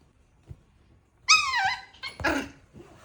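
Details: Puppy letting out a single high, tonal whine that slides gently downward for about a second, then a short, harsh yelp, against a quiet background.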